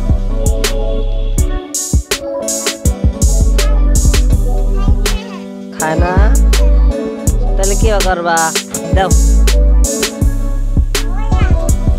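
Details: Upbeat hip hop track with a steady beat, plucked strings and rapped vocals, and no animal voices audible.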